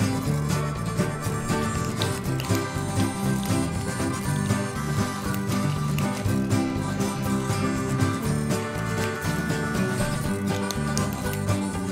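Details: Loud country-style music with guitar and banjo plays throughout, and no animal voice stands out.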